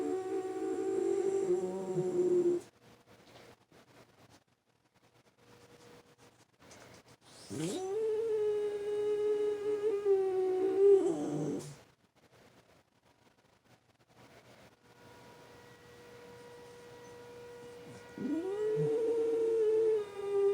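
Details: French Bulldog and Boston Terrier cross howling in response to the weekly tornado siren, which it hates; long steady tonal howls, each held several seconds with a rising start, separated by quiet gaps.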